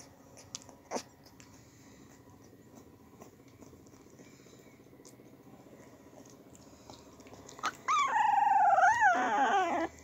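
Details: Two-week-old English Springer Spaniel puppies in Louisiana, sleeping and eating indoors; soft rustles and small sounds give way to a loud, wavering high whine with rich overtones, sliding up and down over the final two seconds.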